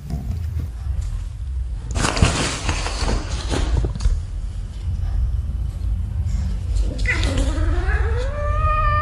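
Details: Cats and kittens playing and fighting together in a tunnel; after several seconds of shuffling and thumping movement, one drawn-out, wavering meow rises and then falls, with clear harmonic overtones, over a low background rumble.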